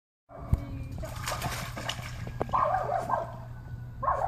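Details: A Welsh Corgi swimming for the first time gives a few short, high yelping barks over the slosh and splash of water.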